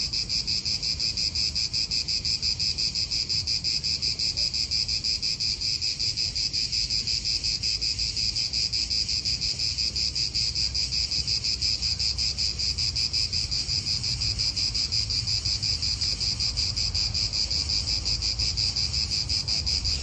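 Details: Cicadas calling in an Italian park: a steady, high, buzzing drone with a rapid pulsing shimmer that holds unbroken for the whole stretch, over a low rumble of wind.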